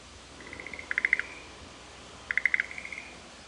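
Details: Frogs calling back and forth in the Shuheki-en garden of Sanzen-in temple, Ohara, Kyoto, Japan: two short bursts of rapid, bright pulses near a high pitch, each joined to a thin drawn-out tone, over a quiet hiss.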